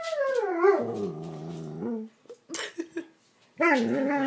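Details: Siberian Husky complaining indoors about not being allowed on the bed, with a drawn-out howl that slides down and holds a steady low moan for about a second. A short break with scuffling follows, then another rising howl begins.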